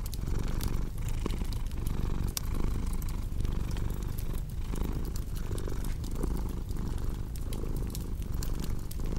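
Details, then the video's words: Purring house cat layered with fireplace crackle, meant for calming and sleep. Even, low vibrating hum pulsing in regular breaths, overlaid by frequent crisp snapping and popping of burning wood. "Purring Cat"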